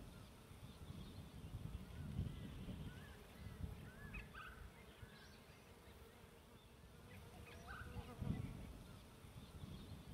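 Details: A dense, low hum of many bees at a bee tree, recorded on a camping trip, with faint bird chirps above.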